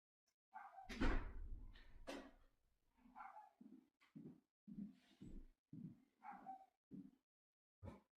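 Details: Loud bang like a door slam, then a dog gives a steady series of short, deep barks, roughly two per second, with a final bark after a brief gap.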